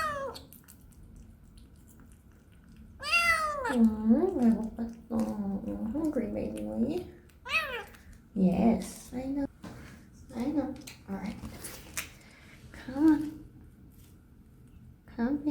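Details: Young female kitten on her first day at a new home, meowing indoors while being given a bath; loud, wavering, arched meows come in bursts, some drawn out, others short, between quieter stretches with soft splashing and a person speaking.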